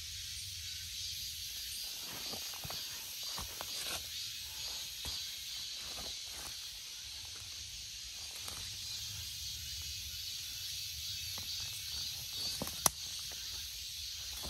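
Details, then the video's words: Continuous high, hissing buzz of a cicada running throughout, broken by scattered soft clicks and taps, one sharp snap near the end. "Cicada 매미"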